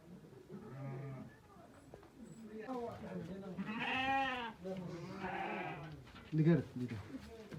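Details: Ewe that has given birth to four lambs, two male and two female, recorded on 23 October 2023; harmonic wavering bleats rise and fall among human speech, with a brief louder knock near the end.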